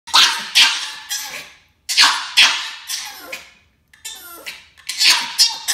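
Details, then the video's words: Norwich Terrier demand barking indoors: sharp, high yapping barks in quick bursts of two or three, with short pauses between groups, in a small room. "Demand Barking before and After with Norwich Terrier"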